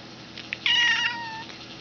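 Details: Domestic cat giving a single short meow, high and bright at onset then sliding downward and fading, with a faint click just before it in a quiet room.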